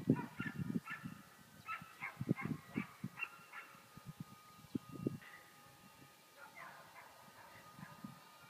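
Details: Border collie while herding: a run of short, sharp barks in quick irregular bursts through the first five seconds, then softer, more scattered yips, with dull low thumps and rustling underneath.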